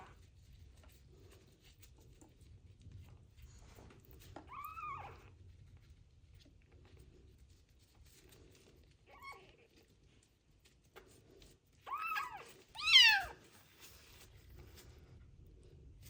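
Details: Street kitten found abandoned and sick with ringworm, meowing during its first bath: a few short arched meows spaced far apart, the last two louder and close together near the end, in a quiet indoor room.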